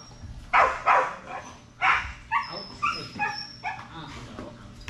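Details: Strider, a Belgian Malinois at Fetch-It (Air Retrieve) dock diving practice on 10.25.22, gives a few sharp, broad barks in the first two seconds, followed by high, thin whining yelps, with voices faintly behind.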